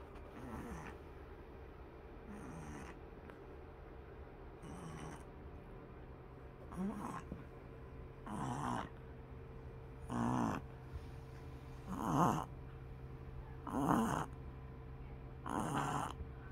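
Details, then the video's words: Pug puppy snoring while asleep: soft rasping snores about every two seconds, each a short breathy burst, starting faint and growing louder toward the end, over a steady low indoor hum. "pug puppy snoring"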